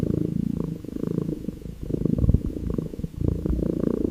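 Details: Calico kitten lying on wooden stairs, gazing close by and purring affectionately; steady low rumbling purr in pulsing waves, with a soft brief swell near the middle, no music or voices.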